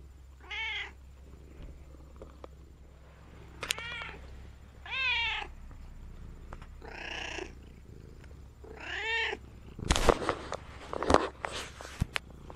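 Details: Domestic cat indoors at an automatic pet feeder that gives no food: four clear harmonic meows, each rising then falling, spaced about every one and a half seconds, followed by clattering and rustling noises near the end, with a steady low hum throughout.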